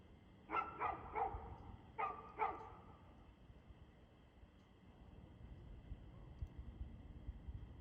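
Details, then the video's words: Dog barking on 2/6/2024 at 6:02pm: five quick, sharp barks in two tight bursts during the first three seconds, then quiet with only low background rumble. "Barking Dog"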